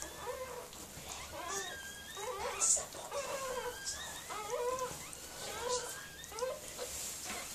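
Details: Miniature Pinscher named Mirella, a dog giving birth to puppies indoors: a run of high, thin whimpering squeals, short arched cries that rise and fall, repeated about once a second over a faint hiss.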